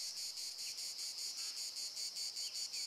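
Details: Cicada singing from deep in a forest, its song described as deafening: a shrill, buzzy high-pitched drone pulsing in even beats about five times per second, with no other sounds.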